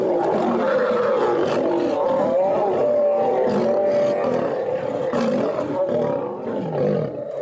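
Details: Lions fighting, female lions attacking a male over a mate: continuous harsh, loud snarling roars with wavering tonal moans held for a second or more, no pauses throughout.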